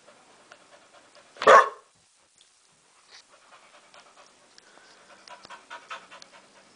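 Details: A single abrupt bark from Kane, a pet dog protesting bedtime like a little kid, stands out amid a quiet room, followed by soft panting and light shuffling noises.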